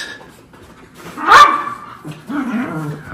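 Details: Freshly bathed and groomed Miniature Schnauzer, feisty indoors: a single loud yip-like bark in the middle, followed by low whining grumbles, with a woman's voice nearby.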